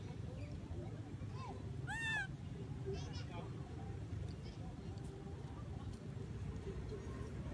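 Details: A baby monkey that lost its mother calls to her while she sits at the top of a tree. It gives a few short, arched, whistled cries with rich overtones, two close together, over a steady low rumble of traffic.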